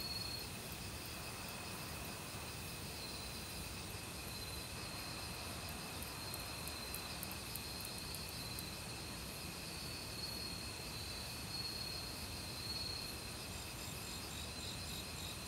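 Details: Forest insects in autumn, crickets among them, keep up a continuous shrill ringing at several pitches, with faint ticking pulses at the top and a rushing stream beneath.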